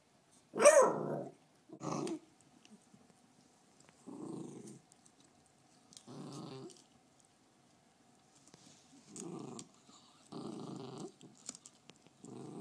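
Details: A female beagle named Fergie, protective over her bone, gives one sharp loud snap-like vocal onset, then a run of low, rough growls, each under a second long, spaced one to two seconds apart.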